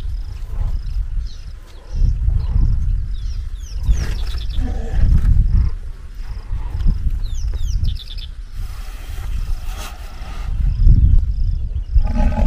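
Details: White rhinoceros cow rejecting the advances of a dominant bull: deep, rumbling low growls and snorts in bursts every few seconds, with higher squeaky noises and faint bird calls in the background.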